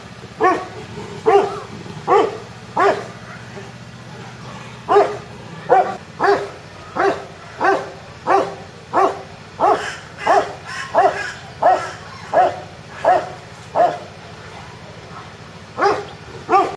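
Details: A young Himalayan tahr (Hemitragus jemlahicus) bleats over and over in short, nasal, harmonic bursts; recorded 9 July 2019.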